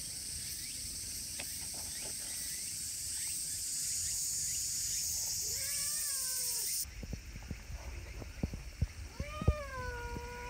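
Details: Affectionate silver tabby community cat outdoors in Japan, giving two clear rising-falling harmonic meows about three seconds apart, over steady high insect or cicada buzz and some handling noise.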